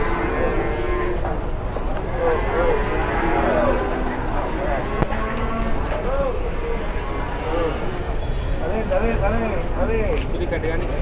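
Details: Uncontrollable, raging Sapi Grandong cattle being unloaded from a truck in Indonesia; several short low moos rise and fall over a steady outdoor rumble, with people talking throughout.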